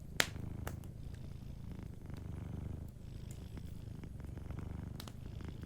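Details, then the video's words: Sleeping cat purring softly beside a warm fireplace: a steady low rumbling purr in long breaths, with sharp crackles and pops from the fire scattered throughout. "Warm Fireplace Ambience with a Sleeping Cat 🐱💤Fireplace & Soft Purring"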